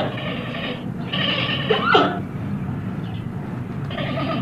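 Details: Giant panda giving harmonic, bleating calls: a broad nasal bleat, a louder wavering call near two seconds, then another bleat at the end, over steady low background rumble.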